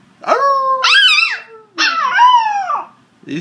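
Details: Red sesame Shiba Inu male puppy aged nine weeks, 'singing' on cue into a mobile phone: a short rising yelp, a wavering arched howl, then a second falling howl of about a second, with a person's voice.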